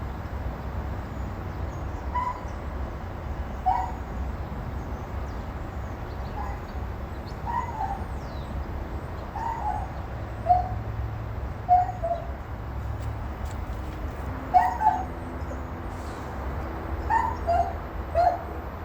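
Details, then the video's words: Dog crying, a series of short, high, tonal whimpering cries with faint harmonics, spaced one to two seconds apart and growing more frequent toward the end, over a steady low rumbling background noise. "dog barking and crying"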